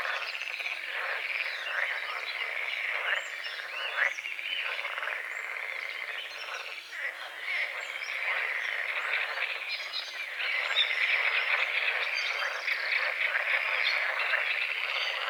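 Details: Frogs croaking at dawn over a small forest-edge lake with morning fog, a dense overlapping chorus of rapid pulsed croaks, steady throughout, with faint bird calls and insect buzz in the background.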